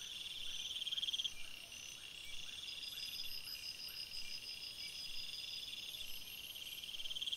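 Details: Crickets at night in the forest: a steady shrill chorus of overlapping high chirping, with bursts of rapid pulsed trilling at the beginning and end and quieter low chirps pulsing about four times a second.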